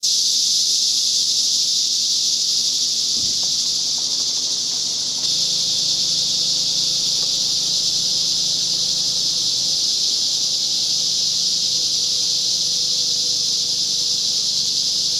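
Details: Very loud cicadas of the larger kind along Whitewater Draw near the Chiricahua Mountains, recorded 9-10-2021. A dense, high, continuous buzzing drone fills the whole stretch, dipping briefly near the five-second mark, with a faint low thump.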